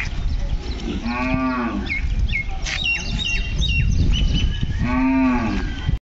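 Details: Hallikar bull calf at Kelamangalam cow market, South India, mooing twice, each low, drawn-out call lasting about a second and spaced roughly four seconds apart, with bird chirps and market chatter between.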